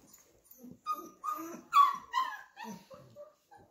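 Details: Flat-Coated Retriever puppies, 34 days old, being introduced to a clicker: a quick series of high, whiny yelps and whimpers, rising and falling with sharp bright peaks, several in under four seconds indoors.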